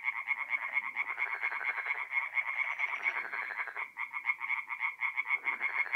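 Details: Tree frogs in full chorus at night on a forest pond, north-east Italy, mid-April: fast rattling croaks repeated in runs by several frogs, a brief gap near the fourth second before the calling resumes.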